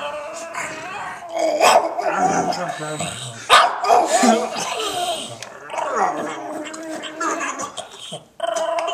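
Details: Dog with a Chewbacca-like voice during play, giving a run of rough, warbling growls and short barks that rise and fall. A person talks over it throughout.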